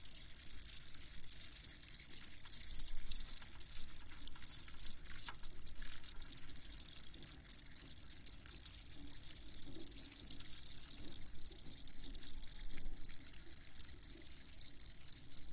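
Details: Crickets chirping, meant for sleeping to: one close insect gives loud bursts of high, fast-pulsed trills over the first five seconds, then fades into a steady wash of rapid, rhythmic chirps from many crickets.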